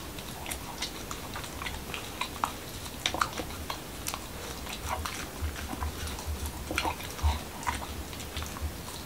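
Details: Indoor mukbang of Momo, a Corgi from Washington DC, biting into a taco with whole wheat shell, cucumber and ground beef; sharp crackling crunches and smacking chews come in uneven bursts against a quiet room.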